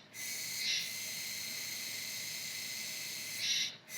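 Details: Kuroiwa tsukutsuku, an autumn cicada singing into November, holds a steady high hissing buzz, with a louder accented swell near the start and another near the end.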